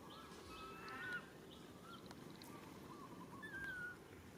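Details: Baby monkey Rain calling its mother Rany for help: two soft, tonal, drawn-out cries, the first slightly rising near one second, the second falling gently after three and a half seconds, over steady rustling background noise.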